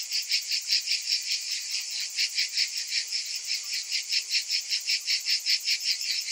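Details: Summer cicada chorus: a bright, high, rasping drone beating in regular pulses roughly two or three per second, many insects overlapping, nothing else audible.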